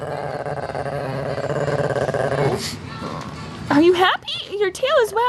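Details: Shih Tzu, female, growling during petting yet wagging her tail; a continuous low throaty growl for about three seconds, then a woman's high, swooping speech follows.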